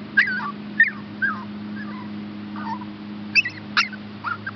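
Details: Rescue puppies Olive and Max, Chihuahua and Shepherd hound, awaiting adoption, let out about eight plaintive high whimpers, some sliding downward, spaced roughly half a second apart, above a low continuous hum.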